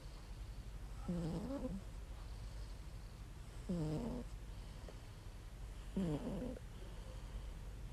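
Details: Contented domestic cat asleep and snoring loudly, three throaty, buzzing snores about two and a half seconds apart, each a short rumble with a slight pitch dip, with near silence between.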